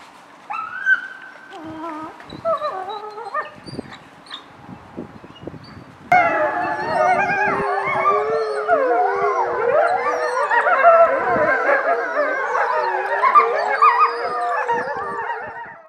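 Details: Several wolves at Parc Omega: a few scattered, wavering howls and yips at first, then a sudden full chorus of many overlapping, sliding howls rising and falling together, sustained to the end.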